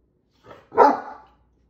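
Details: Great Dane at the kitchen sink gives a soft lead-in huff, then one deep, full bark, as he does when he wants a drink from the sink sprayer.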